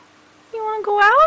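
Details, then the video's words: Neo, a pet cat that has just seen snow for the first time, meows to go outside; a rising, drawn-out meow that climbs in pitch at the end, preceded by a woman's voice and a faint steady hum. "Cat wants to go outside!"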